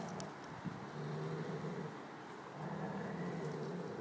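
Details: Giant Schnauzer named Ted growling over a bone: a steady, low rumbling growl with fast pulsing, swelling and easing twice, with faint rustling behind.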